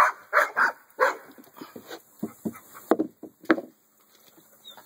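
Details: American Bully giving a run of barks, several loud ones early, then softer, lower barks and yips spaced roughly half a second apart, trailing off into quiet.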